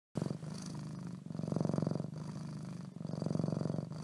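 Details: Domestic cat named Leo purring under the covers: a low, steady rumble in long phases, one fading out briefly near the end, with a muffled, close sound.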